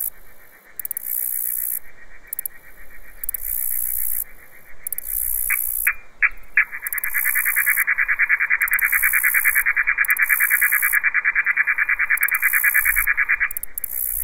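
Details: Katydids (bush crickets) stridulate in the daytime in the countryside on September 9, near the end of summer: high, hissing bursts, then a long run of rapid, evenly pulsed chirping. Some sequences may be slowed down.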